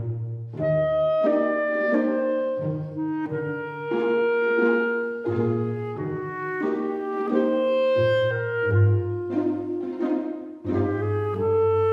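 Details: A slow clarinet melody over soft accompaniment, with sustained woodwind notes rising and falling throughout.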